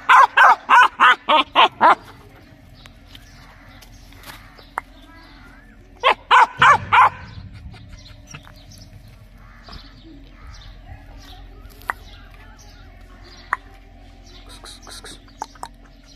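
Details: Quick series of six loud dog barks, a second shorter burst of about four barks, then a long quieter stretch with faint background sounds and occasional clicks.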